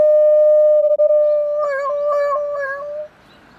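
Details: A dog howls like a police siren: a long steady tone that shifts into rapid wavering pulses, about four per second, before breaking off.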